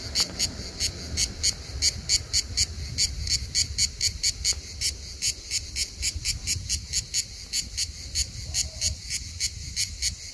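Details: Hellenic cicada on Skiathos, Greece, the summer insect that sings almost all day long; sharp rhythmic buzzing pulses repeat about three times a second throughout, over a soft low background rumble.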